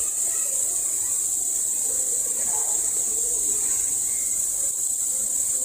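A male cicada gives a steady, high-pitched electric buzz that holds without a break.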